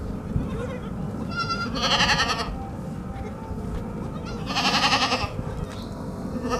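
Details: Two loud, wavering bleats from white baby goats drinking milk, about three seconds apart, with a faint shorter cry between and a low background rumble with some distant voices.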